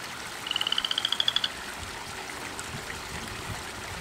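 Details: Garden frog croaking at 10:30 at night, a loud visitor calling nonstop through the night in a yard away from water: a single one-second trill of quick, clicky pulses climbing gently in pitch, then steady hiss.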